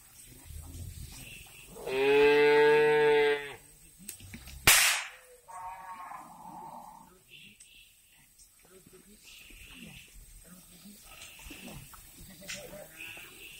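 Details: Cow at a breeding farm in Riau, Indonesia gives one loud, deep, steady moo lasting nearly two seconds, then a sharp crack follows, with softer clatter and murmuring in the background afterward.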